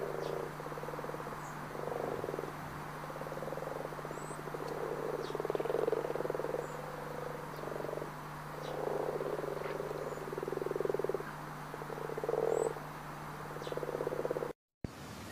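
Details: Brazilian frogs or toads in the Pantanal calling as a dense chorus: buzzy pulsed croaks overlapping in uneven bursts, some brighter notes standing out, steady low hum beneath and a short cut near the end.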